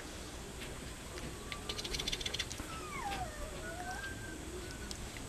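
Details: Mame Shiba puppies giving thin, whistled whines that slide down then rise and level off, several overlapping in the middle, over soft clicking and a low background hum.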